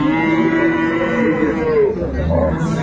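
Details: Dairy cow of an improved breed at Ambari haat livestock market in Dinajpur, 10/2/25: one drawn-out, steady lowing moo that sags slightly at its end, with music and people talking nearby.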